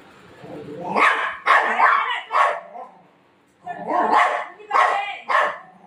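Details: Golden retriever at home in the afternoon, playing with its mom and not letting her nap, gives two bursts of three or four loud, rough barks separated by a short pause. A woman's voice blends in.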